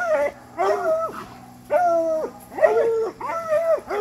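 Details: During raccoon-hunting training, coonhounds bay in drawn-out, arching howls that rise, hold and drop, roughly one per second, over a low steady hum.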